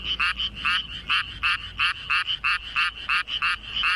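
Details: Rice-paddy frog, found calling underfoot with a hugely ballooned throat: short, raspy croaks repeated about three times a second, each a buzzy double-pulsed note, clear and close over quiet background.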